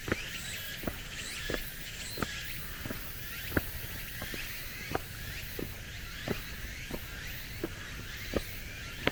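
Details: Late-summer cicada chorus along a forested mountain road, the air already cool: a high, wavering, repeated whirring song over footsteps striking gravel and stone paving at a walking pace.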